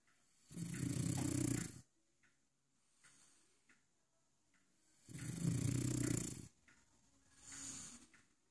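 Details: French Bulldog asleep in its dog bed, giving deep, low, rumbling snores about one and a half seconds long, spaced roughly four seconds apart, with a fainter breath trailing after.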